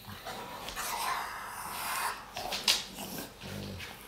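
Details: Two Dogue de Bordeaux, Sophie and Morgan, romping together in a dog bed indoors; rough, breathy play growls and snuffles fill the clip, with a sharp thump midway and a short low grumbling growl near the end.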